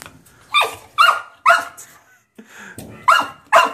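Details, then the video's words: Young dog protesting confinement in its cage, barking insistently: about six loud, abrupt barks at irregular half-second intervals, with a short gap midway and faint low rumbling between them. "puppy wants out"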